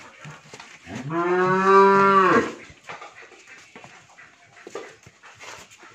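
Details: A Friesian milk cow on a Bangladeshi dairy farm in Pabna district, heavily pregnant with her third calf, gives a single sustained, richly harmonic lowing moo lasting about one and a half seconds, with light knocks and rustling afterward.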